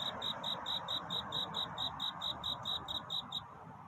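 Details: Night-time cricket courtship song before dawn: evenly spaced, shrill pulses ring out rapidly for about three seconds, then fall silent, over a steady broad hiss.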